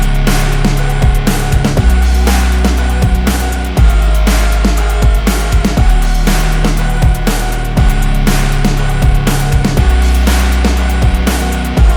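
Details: Loud, heavy electronic music with pounding drums and deep bass fills the recording. No animal voices can be picked out.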